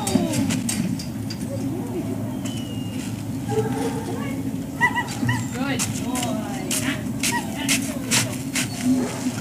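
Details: Service Dog Project dogs in Ipswich, Massachusetts, USA, at breakfast time in October 2017, waiting one by one. Thin, rising and falling whines cluster mid-clip, mixed with people speaking and a low constant hum.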